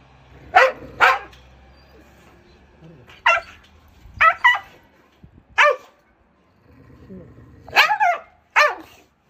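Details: Abandoned, aggressive Jindo that bit the shelter director who fed it for three years, during a transport rescue at Ulsan's Narae-ul Center (formerly Mindeulle Shelter): sharp barks in pairs and singles spread over several seconds, with faint low background hum.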